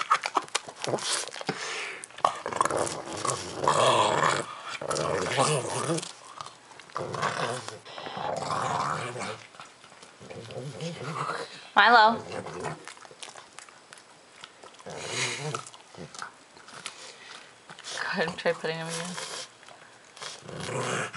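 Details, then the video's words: Pug named Milo growling indoors while eating squash at Halloween: rough, raspy growls in bursts of a few seconds with short gaps, mixed with chewing noises, human speech and laughter between them. "Milo Eating Squash Growling"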